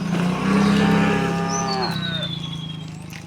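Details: Tame cows and oxen in a herd walking toward wide green fields in morning sun, countryside: one long, deep, droning moo that fades out slowly, with a thin descending whistle from a bird overhead.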